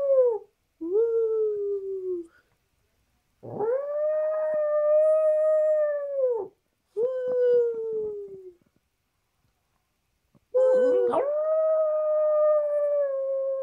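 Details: Excited by a certain treat, the pet dog Peppi howls as his owner joins in; drawn-out tonal howls lasting one to three seconds, level then gently falling at the ends, broken by silent gaps.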